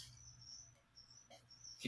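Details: Crickets held as live food for a leopard gecko sing a thin, high trill in short bursts, broken by a brief rustle and a clatter of handling near the end, with a low background hum throughout.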